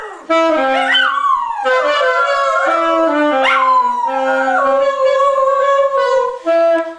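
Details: Coco, a pet dog, howls along as the family's sons play the trombone. Sliding, rising wails rise above the steady held brass notes, and the two sounds overlap through most of the passage.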